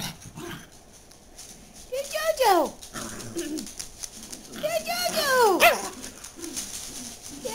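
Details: JoJo, a pet dachshund, recorded 2 9 09, gives two high, sliding yelps that swoop sharply downward in pitch a few seconds apart, with a person talking quietly between them indoors.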